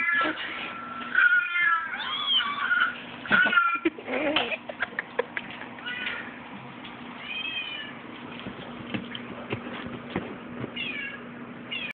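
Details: Domestic cat whose noises confuse a dog: rapid clusters of nasal, rising-falling meows and yowls in the first four seconds, then sparser, softer mews with clicks and a low steady hum, captured on a phone.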